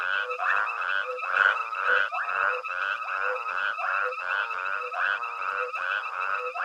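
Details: Nighttime frog chorus at Hwange Safari Lodge while elephants forage nearby: dense overlapping pulsed, rattling croaks, roughly two per second, layered with steady higher trilling in the background.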